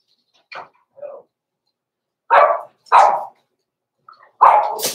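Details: Blenheim Cavalier King Charles Spaniel puppies, Roman and Blue, from a small litter born November 14, 2022, in an indoor puppy pen. Two soft yips, then three loud, short, sharp barks, the last trailing into a hissy rasp.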